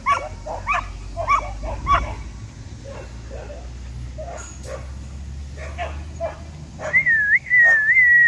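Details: Border Collies, disc dogs, in Yeoju during a heatwave under clear sky, clamouring for the door to be opened: short whimpering yelps in quick uneven series, softer midway, ending in a long high wavering whine.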